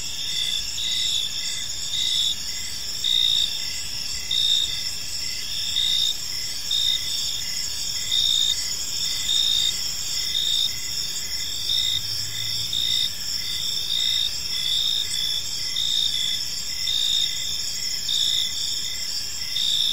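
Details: Crickets calling at evening in a park: sustained shrill chorus with clearly pulsed chirps recurring about once per second for the whole stretch, layered high drones, and a brief low hum near the middle.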